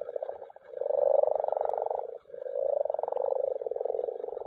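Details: Common frogs (Rana temporaria) gathered to spawn in a mountain pond give a dense run of purring croaks, rapid pulses merging into two long rolling bursts with a brief gap between.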